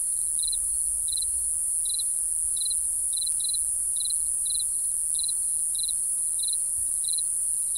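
A cricket chirps in quick clipped bursts of two or three pulses, repeated at an even pace roughly every two-thirds of a second. Behind it runs a constant shrill high-pitched drone, likely other insects singing together.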